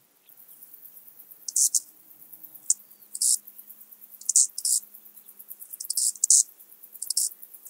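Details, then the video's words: Eastern banded grasshopper, Zalahalap, Hungary, 18 July 2022: high hissing rasps in pairs and single bursts roughly every second, over a steady soft background ticking. "Arcyptera microptera -- Kleine Höckerschrecke -- Eastern Banded Grasshopper"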